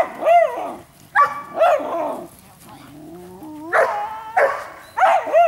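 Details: Giant Schnauzer Blackmoore barking: about seven sharp, loud barks in irregular bursts, with a quieter rising whine-like tone in the middle gap before the barking resumes.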